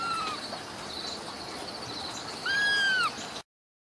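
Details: Ragdoll kittens raised in a home cattery in central Kansas, uncaged; a brief high meow near the start, then a clear arched mew rising and falling over about half a second, with steady background hiss.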